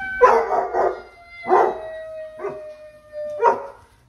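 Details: Basset hounds on a weekend give a drawn-out, slowly falling howl, broken by gruff, throaty bursts roughly every second.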